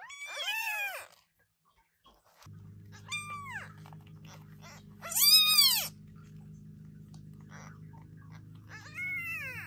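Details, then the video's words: Newborn British Shorthair kittens meow loudly in scattered high, bowed cries, one especially shrill in the middle, while a steady low mechanical hum runs under most of the recording. "New kittens meowing very loudly!!!"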